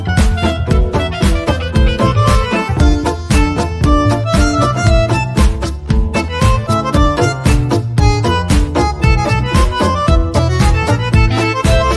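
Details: Lively bowed fiddle tune with plucked notes and a steady folk rhythm throughout, with no animal sounds heard.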